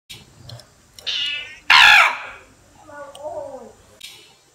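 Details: Cat in Cambodia giving a short high harmonic meow, then a loud harsh burst and a lower, falling drawn-out meow; a person exclaims in between.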